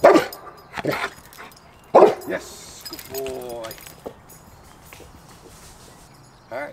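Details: A Cane Corso on day three of training to bark on command while facing forward gives a few deep, abrupt barks, rewarded with his ball, between stretches of a man talking; Cane Corso dog (Canis familiaris) bark.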